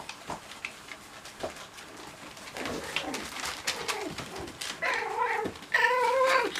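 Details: Cocker Spaniel puppies playing: clicks and shuffling, then drawn-out, bending whines near the end, with a sudden louder high squeal in the final second.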